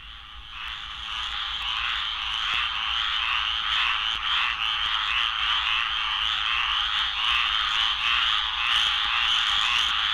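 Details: In Florida, a dense breeding chorus of squirrel treefrogs (Dryophytes squirellus) gives a harsh, noisy rasping from many frogs at once.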